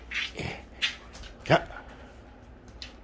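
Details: Jindo dog playing tug indoors: a few short, rough, breathy growling bursts, one about every second, with soft sounds between and faint quiet background.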